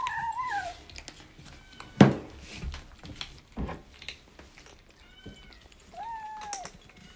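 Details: Rescued kitten from a talkative litter, 26 days into foster care, meowing while eating dry kibble indoors; a falling meow opens, another descending cry comes near the end, with sharp clicks and crunching between.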